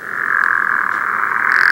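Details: A pickerel frog gives its low snore in March, a steady rattling, grating drone held without a break, from a swamp on a dark night; these frogs commonly call from underwater.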